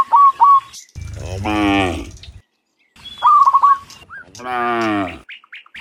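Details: Cows, dozens strong, walking home from fields to pen in the afternoon; two long lowing moos, each preceded by a quick series of sharp chirped bird notes.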